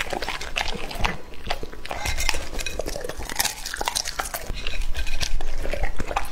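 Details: Male English-type Labrador Retriever, two and a half years old, eating raw meat; rapid wet chomping and smacking, bites coming nearly three times a second, with faint clinks like a dish.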